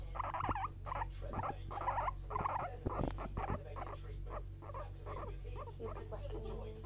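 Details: Guinea pig licking a finger utters rapid repeated squeaky chirps about twice a second, bright and nasal, over a constant low hum with a single click partway through.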